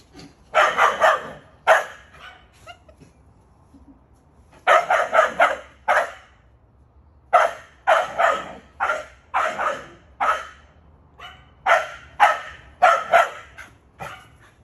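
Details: Backyard recording of a male pet Keeshond barking: clusters of three to five fast, coarse barks fired in quick succession, separated by brief silences, continuing steadily throughout.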